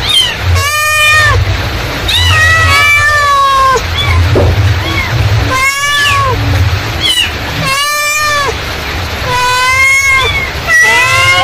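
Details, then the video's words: Mother cat calling kittens in a long series of meows, about seven in eleven seconds, each bowed and harmonic-rich, some short and chirpy, others drawn out and falling, over a constant low rumble. "suara induk kucing memanggil"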